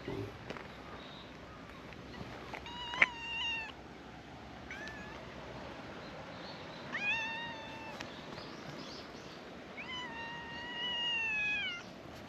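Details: Several cats at a scenic island viewpoint greeting tourists; three clear harmonic meows, drawn-out and slightly wavering, spaced a few seconds apart over steady outdoor background noise.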